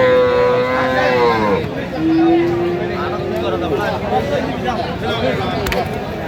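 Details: Sahiwal bull calf at a cattle market in Narsingdi, Bangladesh, bought by a farmer on 31 January: two long moos, the first steady then falling, the second lower and slightly rising, with market chatter and voices.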